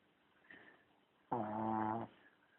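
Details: A dog named Charlie lets out one short, rasping snore under a second long, a steady low hum with many overtones, framed by near-silence in a small room.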